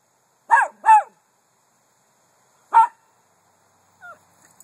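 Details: Miniature Poodle, a pet, giving short sharp barks: two quick barks close together, a pause, then a single bark, followed by a faint rising-falling whine at the end; otherwise quiet.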